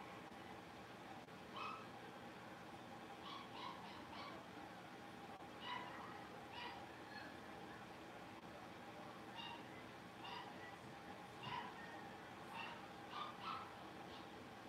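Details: Five young blenheim Cavalier King Charles Spaniel puppies at play in their home pen give a busy run of thin, high squeaks and yappy little barks, often overlapping, against a constant background hum.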